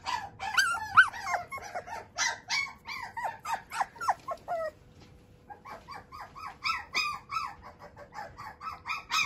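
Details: High-pitched yelping from a male Shiba Inu puppy whose father is a JKC champion. Quick squeaky cries come in a dense burst, pause briefly near the middle, then resume in steady short yelps.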